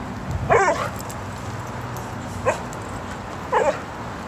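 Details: Female dog Bubbles stalking a stationary squirrel on a nearby tree trunk, giving three brief strained whimpers, a longer one first then two short ones a second apart, with soft background hiss.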